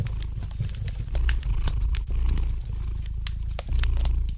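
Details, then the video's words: Low, throbbing purr of a domestic cat, rising in fuller surges about every two and a half seconds, accompanied by scattered light crackles and pops from a fireplace fire. "Relax to the gentle purring of the cat and the light crackling of the fire in the fireplace!"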